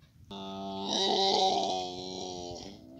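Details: A baby camel holds one long, even moan for nearly three seconds. It is full and harmonic, with a buzzy, breathy top, swells in the middle, then fades slightly at the end.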